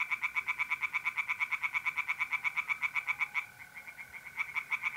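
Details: Tree frogs singing in a pond on a mid-April night in North-East Italy: fast, even trains of rasping croaks, about five per second, pausing briefly near the end, over a steady high trill from mole crickets.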